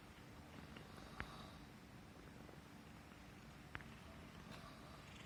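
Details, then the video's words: Purring of a Persian Himalayan domestic cat, content while being stroked on the neck; a steady low rumbling throb continues throughout, broken by two sharp clicks near one and four seconds. "Suara Kucing Mendengkur (Manja Banget) CAT PURRING"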